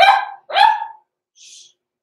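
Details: Six-week-old blenheim Cavalier King Charles Spaniel puppy overnight in an indoor pen gives two high, rising yaps, followed by a faint hissing noise.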